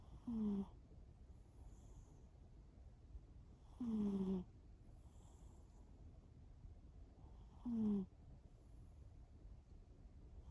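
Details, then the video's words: Shimao, a pet cat, snores while asleep: three evenly spaced nasal snores roughly every four seconds, each a brief falling buzz, separated by quiet breathing and low room hum. "一緒に寝よう いびき5分間"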